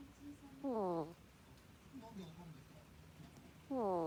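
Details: Koppa, a pet ferret asleep at home and snoring like a person: two clear, squeaky, descending whistle-snores about three seconds apart, with fainter soft breathy notes between them in a quiet room.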